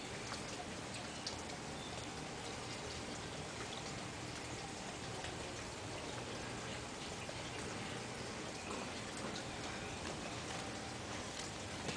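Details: Continuous patter of rain on a surface fills the scene, with no animal calls audible.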